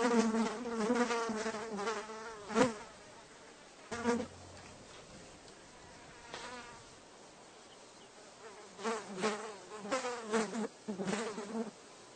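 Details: Housefly buzzes in loud, wavering bursts at the start and end, with a quieter stretch in the middle holding only faint hum and short sharp passes.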